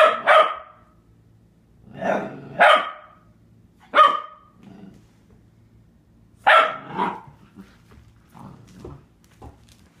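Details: Four-month-old Catahoula Leopard Dog puppy Penny barking at herself in a bathroom mirror, fearing the reflected puppy will take her toys; sharp, high yapping barks, singly and in pairs, scattered irregularly, with softer whines between.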